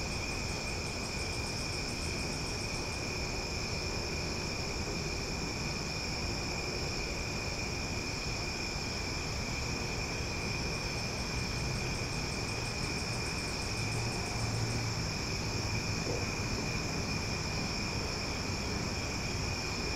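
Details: A loud summer night chorus of cicadas in Omaha: continuous high ringing tones layered into a dense drone, with a rapid pulsed ticking that stops and restarts, and a faint low hum underneath.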